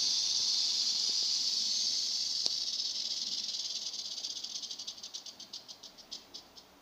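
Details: Crotalus atrox, the western diamondback rattlesnake, giving a continuous high hissing buzz that gradually slows into distinct rapid clicks and fades away toward the end.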